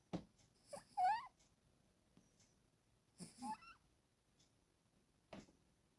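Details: Pet cat, female, snoring in her sleep and dreaming: short nasal breath bursts, two with high squeaky wavering whistles near one and three and a half seconds, separated by quiet pauses.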